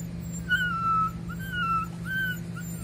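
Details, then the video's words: Puppies at a construction site: thin, high whining whimpers, several drawn-out tones, some slightly falling, repeating over about three seconds above a steady low machine hum. "щенки на стройке"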